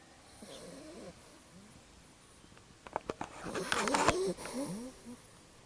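A Labrador puppy snores softly in quick wheezy breaths with faint whistling rises, broken midway by a burst of louder rustling and clatter.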